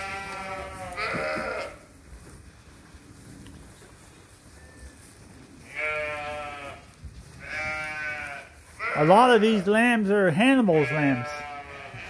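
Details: Flock of sheep and lambs at Ewetopia Farms waiting to be fed during daily chores, giving three drawn-out, quavering bleats spaced several seconds apart, with a person talking near the end.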